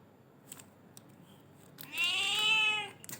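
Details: Black and white cat indoors giving one drawn-out, clear meow that rises then falls, lasting about a second, after a stretch of near quiet with faint clicks.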